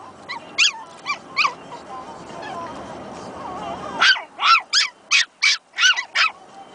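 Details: A pair of baby Pomeranians newly barking at each other: a few lighter yips at first, a short lull with faint whining, then a fast, louder burst of high-pitched yaps in close succession.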